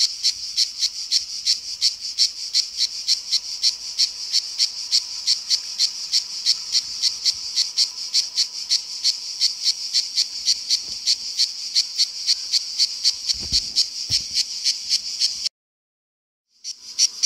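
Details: Cicada in summer giving its shrill, deafening song; rapid high rasping pulses repeated several times a second for about fifteen seconds, then silence and a brief restart.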